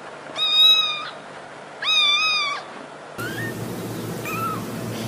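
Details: Two loud, drawn-out domestic cat meows, each about a second long with a steady, slightly wavering pitch, used to draw cats closer. After an abrupt cut, a noisier recording carries two shorter, fainter mews.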